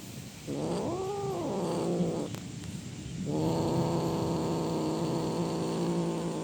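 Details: Cat giving a loud, drawn-out roaring call: a harmonic wail swelling and falling around the first second, a short break, then a long steady moaning tone held to the end.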